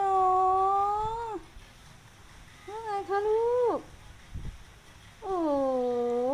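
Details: Pet cat being affectionate and asking for attention: three drawn-out, tonal meows, the first and last long and slightly falling, the middle one shorter with a rising then dropping end, separated by quiet pauses.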